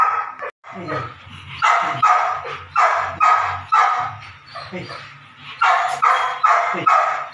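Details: Nine-week-old Belgian Malinois puppy during ball and prey drive training, giving a run of sharp, rapid barks and yips about twice a second, with a person's voice and background music.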